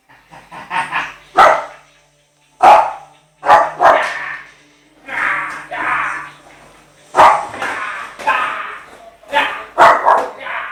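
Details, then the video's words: An 8-month-old Shih Tzu frightened by a skateboard barks repeatedly in short bursts, some doubled, mixed with harmonic yelps and whines, while a person talks between the barks. "Shih Tzu scared of skateboard"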